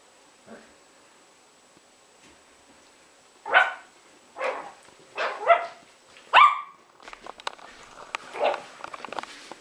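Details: Playing Yorkshire Terriers Jessi and Megi: a few loud, high barks grouped in the middle, then light scrabbling and clicking sounds in the background.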